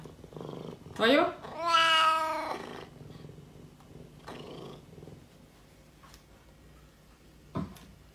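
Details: Curious Oriental Shorthair cat named Thomas gives a short rising meow, then a louder, drawn-out, strongly harmonic meow lasting about a second, with a person speaking quietly in Russian before and after.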